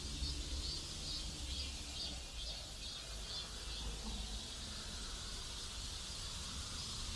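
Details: Cicadas in a neighborhood in South Korea, their high buzzing song pulsing in regular beats about twice a second over a thin constant hiss, with a steady low rumble of background noise underneath.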